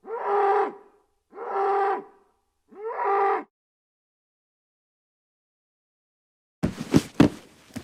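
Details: Bull bellowing three times, full harmonic moos about a second apart, then silence and a few dull thumps near the end.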